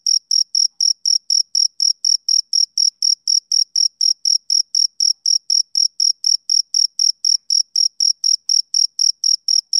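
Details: A male cricket calls with a continuous, metronome-like train of short, high-pitched chirps, about four per second, loud and clean against complete quiet.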